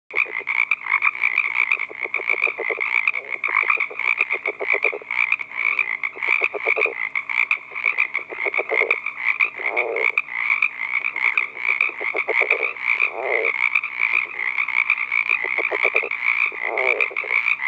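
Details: A male California red-legged frog gives his advertisement call to attract a female from a pond at night in Southern California: short trains of low, rapid, grunting pulses every second or two, over a continuous shrill chorus, probably insects or other frogs.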